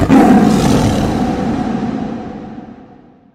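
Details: A lion at Savuti, northern Botswana, where lions clash with hyenas, gives one deep, loud roar that fades away over about three seconds, with a faint musical tone beneath.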